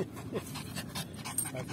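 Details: Pet Yorkshire Terrier Lucy, out of breath from fetching a ball, pants rapidly: airy, hissing in-and-out breaths about five per second, steady and close throughout.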